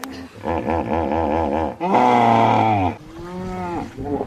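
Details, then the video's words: Hippopotamus producing a rhythmic series of deep pulsed grunts, then a loud, sustained, harmonic bellow lasting about a second, followed by softer, lower drawn-out calls. "Hippo Sounds"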